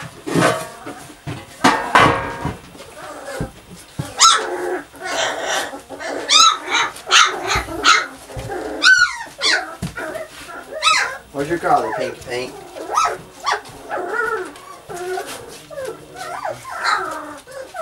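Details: Playing puppies yip and whine almost nonstop, with rapid high squeaky cries rising and falling in pitch and a few short barks, while a person speaks now and then in the background.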